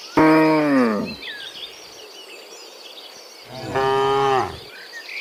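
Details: Two separate moos from cows coming back from the field to the barn in the morning, each about a second long with a falling ending, separated by a few seconds of soft birdsong.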